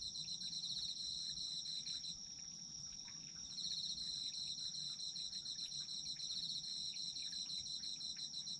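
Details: Night-like chorus of autumn insects for sleep: one insect holds an even, piercing high trill throughout. A second, rapidly pulsed chirping trill stops for about a second and a half near the third second, then resumes to the end.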